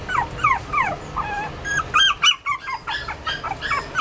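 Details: Toy Poodle giving high, thin whimpering squeals: a few quick descending whines, then a steady run of short, bright yelps several times a second, over a faint low background hum.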